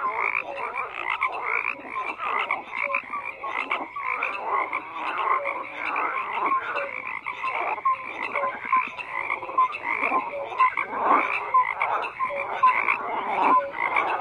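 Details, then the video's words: Frogs croaking in a dense chorus, many overlapping rasping calls layered with short clear notes, no pause, a steady wall of sound throughout. "FROGS CROAKING"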